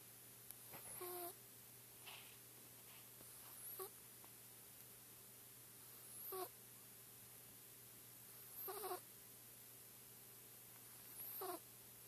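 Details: Sleeping Persian kitten of the Chinchilla Silver type, four months old, with soft, rasping snore-like breaths recurring roughly every two and a half seconds against a steady low indoor hum.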